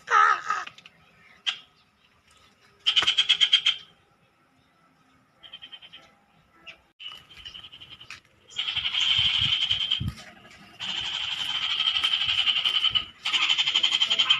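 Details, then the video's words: Frog found and recorded up close, calling in loud, harsh, buzzy pulsed bursts: short rasping croaks at first, then long rattling trills lasting one to two seconds each, separated by brief quiet gaps. "FINDING FROGS"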